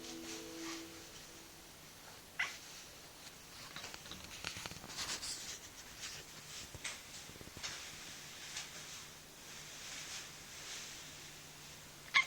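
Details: A female Turkish Van cat, not deaf, chatters in soft, rapid clicking bursts with a brief tonal chirp at the start; chattering or chuffing that cats make on seeing prey they cannot reach.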